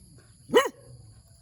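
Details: Single short, sharp bark from a puppy in the morning, rising and falling quickly in pitch, with a faint low background hum.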